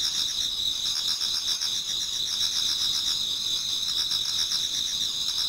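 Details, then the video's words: Autumn insects in a Japanese garden chorus near dawn, several high-pitched trills droning without pause while a rapid pulsing chirp repeats about four times a second. "Autumn Insects voice Towards dawn"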